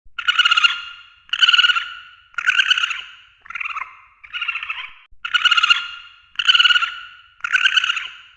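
A red panda gives harsh, squealing calls, each under a second long, repeated about once a second.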